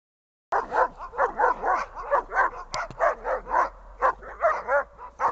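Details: Dog barking during a training session, a rapid steady run of short yelping barks, about two or three per second, with a low steady hum underneath.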